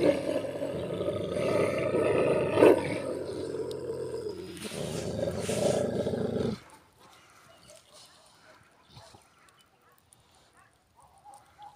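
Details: Turkish Kangal dogs locked in a fight at a campsite: deep, rough, continuous growling and snarling for about six and a half seconds, then it stops abruptly, leaving near quiet with faint scattered sounds.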